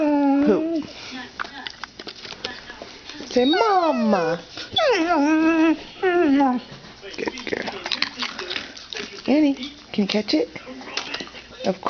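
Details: Pet dog vocalising on cue indoors, one of two dogs, Annie and Maggie; Maggie was trained that day to say "mom". Sliding, yodel-like whines swoop up and down in several bursts, with the owner talking and prompting between them.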